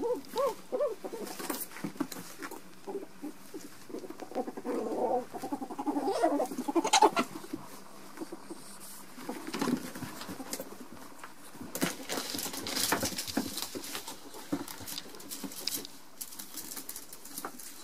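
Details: Ferrets in an intense fight, with quick low chattering pulses at the start, a rough rising squeal in the middle, then busy scuffling and scratching patter with bursts of hissing.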